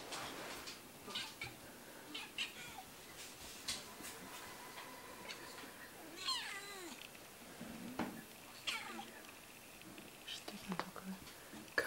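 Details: Domestic cat named Kitty indoors in a small room while hunting a mosquito; brief chirping meows with descending harmonic sweeps near the middle, a few soft clicks and rustles, and quiet room background.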